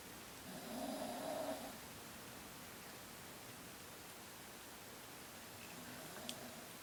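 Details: A pet Chihuahua named Kasumi snores while Ohagi the cat watches; one clear humming, rasping snore early on, then a much fainter second breath several seconds later in a quiet indoor setting.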